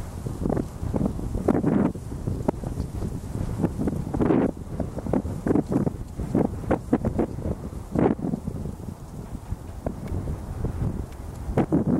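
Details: Gusty wind buffets the microphone outdoors with rustling and low rumbles throughout; no animal voice is heard.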